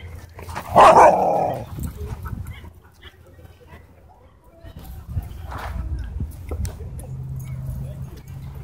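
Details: At a dog park during play, one strong, harmonic bark sounds near the start, then quieter scuffles, faint yaps and a steady low hum fill the rest.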